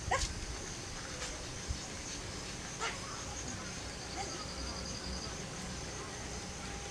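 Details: Laika, a pug female nearly six months old, on her first outing in a nearby park, lets out a few short, sharp yips and barks spread over several seconds, with faint outdoor background noise.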